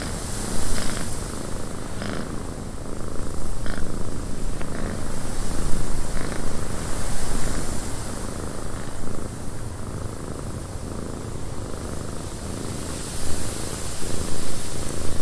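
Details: Cat purring inside a windy cabin, a steady low throbbing rumble of rapid pulses that swells and eases slightly over fifteen seconds, with a constant airy hiss on top.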